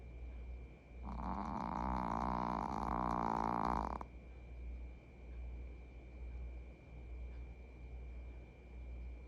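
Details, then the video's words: Snoring Maltese named Jigeumi, a male house pet napping indoors beside its owner; a loud rough snore lasting about three seconds with a rasping, fluttering texture, then quiet room hum. "코골이 말티즈"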